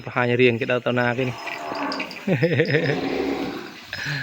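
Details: Calf in a cattle pen, kept away from its mother and calling for her: a short, strained moo opens, then a quieter wavering, wobbling cry amid background murmur.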